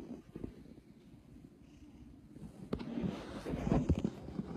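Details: Bengie, a six-year-old male Domestic Shorthair cat, white with apricot markings, at an animal shelter awaiting adoption, purring with a low rumbling texture that grows louder in the second half; a voice says "pretty" nearby.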